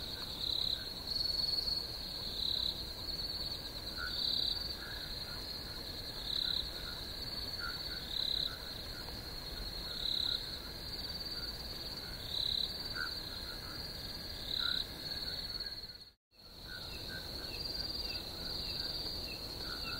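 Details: Chirping crickets make a constant high-pitched trill that swells into louder pulses every couple of seconds, with faint lower blips, and a brief silent dropout near the end.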